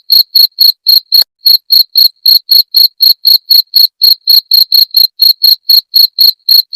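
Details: High, trilling cricket chirps for repelling rats, repeated around four times a second with a short gap near the start, otherwise an unbroken steady rhythm.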